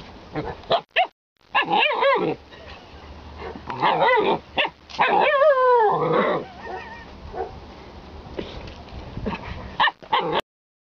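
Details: Vocal Alaskan Malamute mixing barks and yips with a drawn-out, wavering, howl-like moan that slides downward in the middle; the bursts are separated by short silences.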